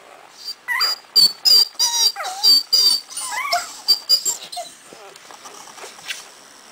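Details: Four-day-old Cardigan Welsh Corgi puppies in a kennel litter born January 25th 2011, squeaking and whimpering in a rapid run of high, wavering yelps and thin whines, several pups overlapping.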